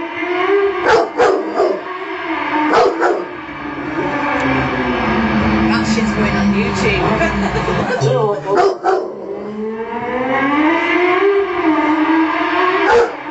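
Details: Pet Rottweiler howling in response to the sound of a motorbike: long wavering howls that slide up and fall back, broken by short sharp yelps, over a steady low engine drone.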